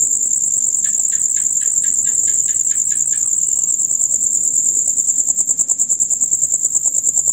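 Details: Steady, shrill, rapid trilling from a male cricket chorus heard from dusk until dawn, joined early on by a short series of about nine lower clicking notes before the trill continues alone.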